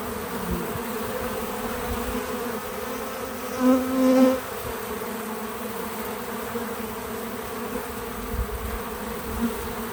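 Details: Bees visiting a feeder outdoors on a small farm, recorded in real time: a steady layered hum of many wings, swelling into a louder, closer buzz for about a second midway, then settling back to the even drone.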